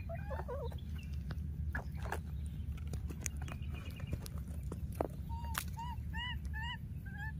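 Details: A young wild monkey missing its playmate cries out: after some scattered knocks and rustles, a tight run of six arched, slightly nasal whimpering notes closes the passage, set against a heavy low background hum.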